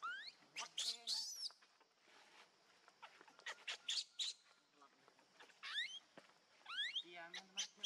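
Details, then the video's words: Baby monkey Leo calling for its mother while hungry for milk: sharp rising squeals and harmonic wails in short clusters, separated by clicking and handling noise. "Cutest Baby Monkey Call Mummy Back"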